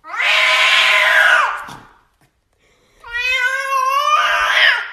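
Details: A domestic cat named Henry gives two long, drawn-out yowling meows, each over a second long; the first is harsh and wavering, the second a clear rising tonal wail that turns rough, with a silent gap between them.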